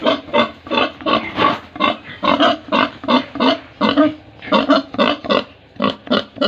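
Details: Pigs and piglets on a farm in Tripura, India, making a rapid string of short, harsh grunts and oinks, roughly two to three per second, with brief bursts reaching up into squealing tones and little pause between calls.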